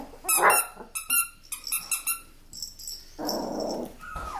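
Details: Miniature Australian Labradoodles let out short, sharp yelps and squeaky barks in a quick cluster, then fall silent. A brief rougher rustle follows, and a thin rising whine comes at the end.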